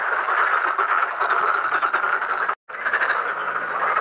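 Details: Many black-spotted pond frogs calling at a pond while mating and spawning: thick overlapping croaks in a steady wall of sound, broken by one abrupt moment of silence just past halfway.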